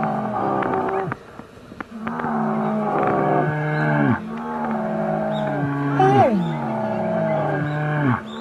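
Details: Asian black bear calling: a run of moaning, strongly harmonic calls, each about a second long and sliding down in pitch at the end, sometimes overlapping as if from more than one voice, with a brief louder upward squeal near the sixth second.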